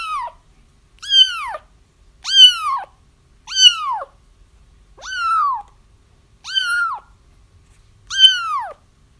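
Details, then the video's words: Kitten cries used to lure a feral mother cat into a trap: seven insistent, arching mews in quick succession, roughly one per second, each rising briefly then dropping in pitch. "30 minutes of Kittens Crying"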